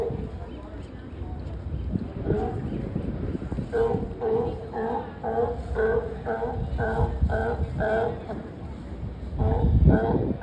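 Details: Up close at San Francisco's Pier 39, sea lions bark in a steady run of rough, honking notes, roughly two per second through the second half, with people talking nearby and a low background drone.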